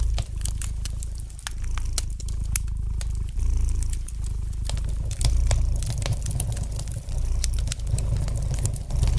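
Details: Gentle deep purring from a domestic cat, a buzzy low hum that ebbs and surges with each breath, accompanied throughout by bright snapping crackles of logs in a fireplace.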